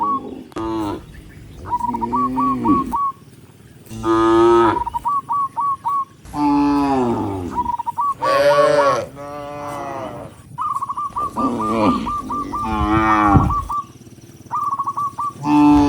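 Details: Tens of tame cattle walking along a rice field road moo in long, rich, drawn-out calls, with a bird chirping in quick short bursts between them.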